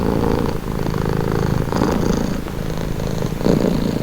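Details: Close, low-pitched purr from a cat, a buzzing rumble that pulses with each breath, a short dip near half a second and a slightly louder swell toward the end.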